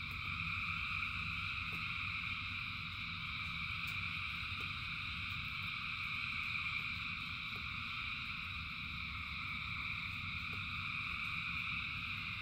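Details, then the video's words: Thousands of frogs in the rain keep up a ceaseless multi-toned trilling chorus, steady in volume, while heavy low rain noise and occasional sharp drip sounds run beneath. "Frogs in Rain 2 Hours of Frogs, Thousands of Frogs Singing"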